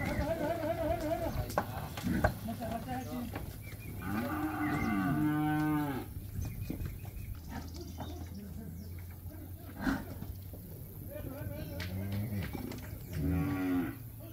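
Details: Calves in Campeche, Mexico, recorded 20 August 2022: repeated harmonic moos and bawls, some rising then falling, several overlapping at once, over a steady low hum and a few sharp knocks.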